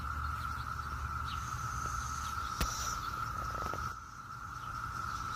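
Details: A steady, droning chorus of Brood X periodical cicadas holds one unbroken pitch over a low rumble, recorded on a June 7, 2021 morning in Maryland.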